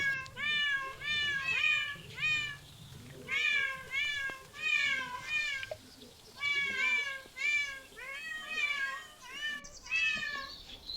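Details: Cat repeating shrill, descending meows in bursts of three or four, separated by short pauses. There is a low rumble early on and a brief change in the background near the end.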